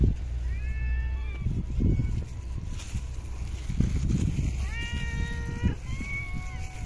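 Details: Stray cat fed in an urban park calls repeatedly: four tonal meows, two short ones then two longer, slightly falling ones, over constant low traffic-like rumble and scattered knocks.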